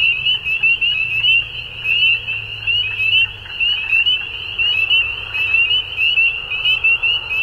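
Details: At dusk, frogs fill the air with a continuous shrill trilling chorus, rapid pulses swelling and dipping in loudness about twice a second, a soft low drone in the background.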